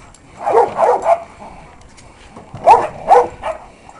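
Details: Lewis, a male sable working-line Czech German Shepherd, running and jumping in the yard; two bursts of three sharp, mid-pitched barks about two seconds apart, over a low outdoor background hum.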